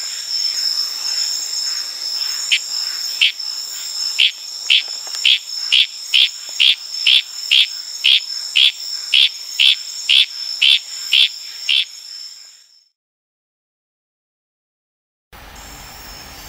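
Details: Tanimbar, Indonesia, at night in the wild: a Litoria frog repeats short, bright chirps about twice a second for some twelve seconds, with crickets and night insects droning behind, then the sound fades to silence before a brief different noise.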